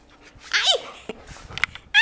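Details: An Alaskan Malamute in Brazil gives a brief, bending whine, then a quick rising yelp at the end.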